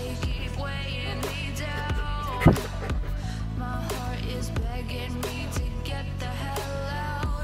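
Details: Dense pop music with heavy bass and a short sharp knock midway; no animal sounds heard.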